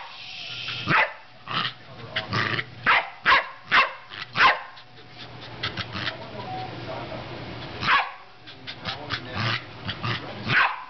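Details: Corgi attacking an air pump: short rough barks and grunting yips in irregular bursts, with a low mechanical hum in the background.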